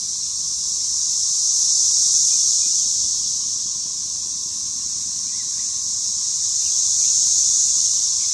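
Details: Periodical cicadas swarming a front and back yard during a spring 2015 emergence, a deafening, continuous high shrill chorus that swells and fades in slow waves, with a faint steady tone lower down.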